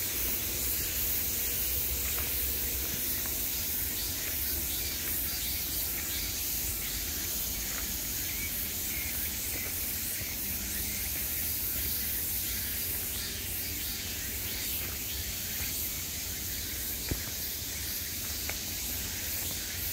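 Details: A summer cicada chorus, a high steady buzz that softens slightly midway and rises again, with faint scattered ticks and a low background hum.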